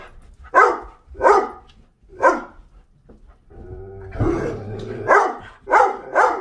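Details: Doberman barks demandingly for access in or out, food or water: three sharp barks, a pause, then a low rumbling growl-like stretch followed by more barks.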